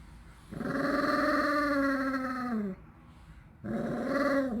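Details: A 13-year-old pet dog with weak legs, waiting impatiently indoors for its favourite homemade snack, gives two drawn-out, tonal, moaning growls, the first about two seconds long and sagging in pitch at its end, then a shorter one after a pause.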